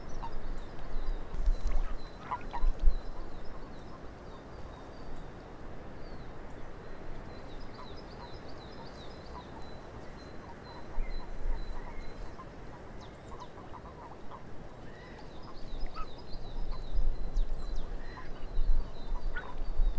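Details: Frogs calling in a swamp: short croaks scattered irregularly through a low rumble of wind, with trilled bird phrases running high overhead and a few louder bursts near the start and end.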